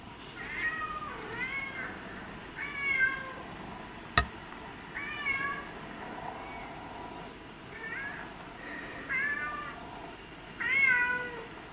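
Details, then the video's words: Two male domestic cats, one white and ginger, one black and white, meow repeatedly: about nine short, bright mewing calls that rise then fall, loosely spaced over twelve seconds, with one sharp click midway and a quiet steady background. "These Meowing Cats"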